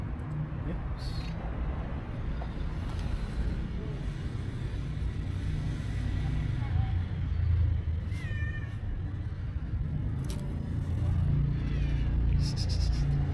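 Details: Friendly stray cow cat greeting on the street with a few short meows, one clearly falling in pitch, over a steady low rumble of traffic with brief human voices.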